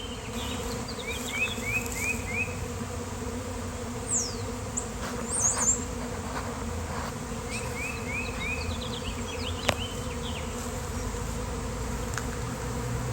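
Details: Honeybee swarm that burst out of nowhere on a fine-weather day, awaiting a beekeeper's rescue: continuous low buzzing drone throughout, overlaid by repeated chirps and trills of songbirds and occasional clicks and knocks.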